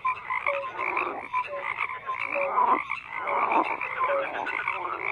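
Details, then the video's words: A crowded chorus of croaking frogs, with rough rattling calls layered over one another and brief whistle-like notes scattered through. The chorus dips into a short lull near the middle before swelling again. "FROGS CROAKING"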